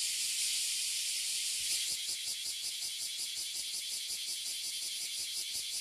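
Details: Oily and bear cicadas fill a tree in Toyohashi City, Japan, where they emerge every year. Their chorus is a loud, unbroken, high buzz with a rapid throbbing pulse throughout and no other sounds.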